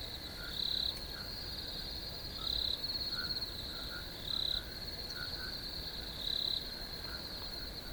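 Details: Crickets chirping: a steady, high, shrill trill runs throughout, with louder half-second surges about every two seconds. Softer, lower chirps flicker underneath.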